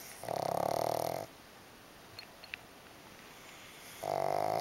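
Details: Pug snoring while asleep, pressed against a second sleeping pug. Two long, buzzing, rattling snores about three seconds apart, with a few faint clicks in the quiet gap between them.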